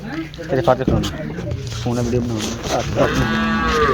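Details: Friesian cow being sold: a low, drawn-out moo partly masked by people talking and background noise, with a clearer lowing note near the end.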